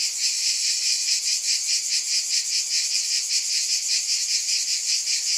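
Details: Cicadas keep up a loud, sizzling drone that beats in quick regular waves of about two and a half per second, steady from start to finish with no other sounds.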